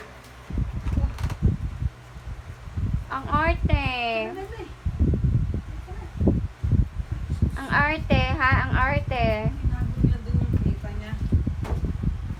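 A Shih Tzu whines and cries in wavering, high-pitched bursts while its ear is cleaned.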